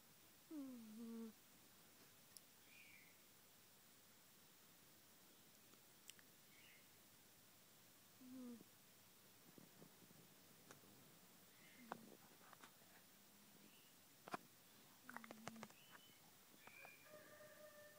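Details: Snoring from Taffy, a pet Siamese cat: two drawn-out whistly nasal tones, the first falling at the start and another about eight seconds later, surrounded by soft clicks, rustles and light tapping noises.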